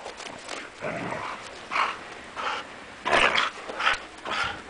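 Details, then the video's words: Siberian Huskies, the owner's girls, wrestling in play around the owner's feet in falling snow; rough, breathy growls and grumbles come in bursts about every second, over a soft hiss of snow. "More wrestling Huskies"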